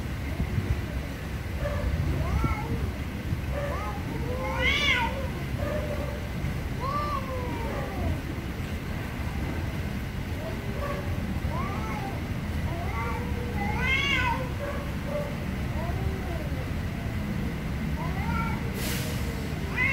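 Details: Angry cats meowing loudly: drawn-out, arching meows come every second or two, some rising then falling, a few stacked high and shrill, over a steady low rumble of background noise.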